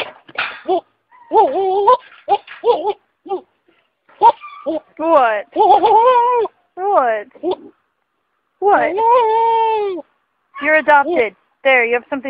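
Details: Goats making loud, strained bleats, some short and choppy, others drawn out with a trembling, wavering tone, one long quavering scream near the end; faint voices between calls.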